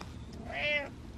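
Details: During a rainstorm, a male domestic cat gives a single rising-then-falling meow at the door, wanting it opened. He was not scared of the storm.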